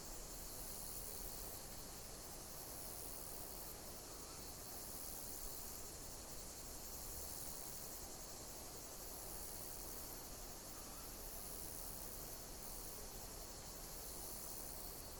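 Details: Insects chirping in nature, a steady high shimmering chorus that swells and fades in pulses every second or two, over a constant broad hiss and low rumble.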